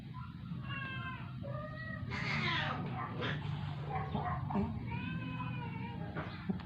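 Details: Dying rescued stray cat Moymoy, kept indoors, weak after refusing food for twelve days: a series of short, faint, falling meows, several in a row, with quiet tender Filipino speech and shuffling sounds in a small room.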